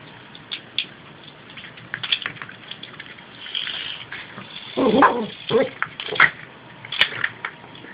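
A Yorkshire Terrier gives a few short, high yapping barks over steady background hiss.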